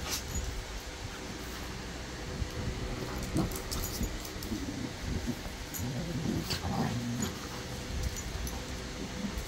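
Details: Two pet dogs, a Cockapoo and a Golden Retriever, learning to play together in a smaller, quieter style; soft whines and grumbling noises rise and fall between three and seven seconds over a steady low rumble.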